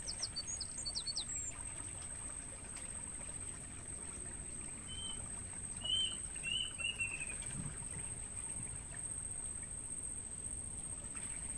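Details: Crickets in a natural mangrove forest, used to stimulate songbirds, hold a constant piercing trill. Brief bird chirps open the clip, and a few softer whistled bird notes come midway.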